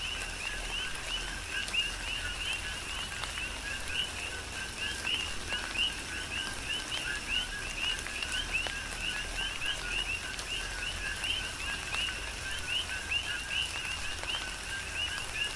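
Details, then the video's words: Dense rhythmic coqui frog chorus recorded in a tropical rain shower on the Big Island, Hawaii; paired low and high rising chirps repeat nonstop from numerous frogs while raindrops patter throughout. "Tropical Rain & Coqui"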